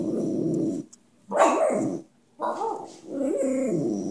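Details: Dante the talking dog gives three moaning, voice-like phrases. The middle one swoops up then down in pitch, and the last ends in wavering, singsong notes.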